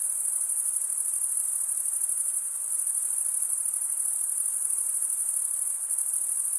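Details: Stridulating crickets, usually males scraping one wing against the serrated vein of the other, keep up a piercing high-pitched buzzing trill at constant volume, a soft background hiss the only other sound.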